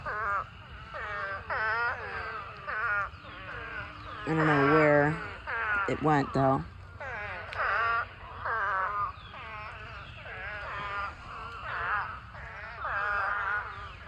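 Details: Spadefoot toads in a huge mating swarm, a pond full of thousands of toads: many nasal, bleating calls overlap, each sliding downward in pitch, rising and falling in waves with brief louder moaning notes near the middle.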